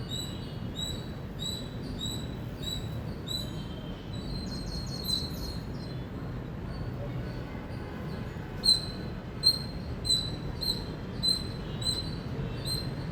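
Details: Indian squirrel chirping: a quick run of high, clipped notes at the start, a quieter gap, then louder evenly spaced sharp chips near the end, with a low steady hum behind.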